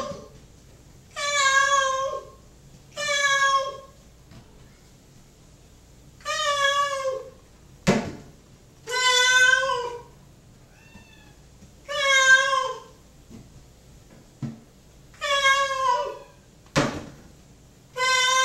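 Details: Mocha, a pet cat kept apart from his housemate and waiting indoors for dinner, meows repeatedly, about seven loud harmonic wailing calls every two to three seconds, with a couple of sharp knocks between them in a small room.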